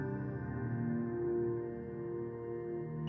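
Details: Soft ambient music with sustained low tones and no animal sounds.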